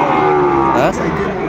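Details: Sahiwal bull calf at Raniganj cattle market, Dinajpur, Bangladesh, on 6 June 2024: a steady, richly harmonic moo held for about a second, then bending and fading, with market voices mixed in.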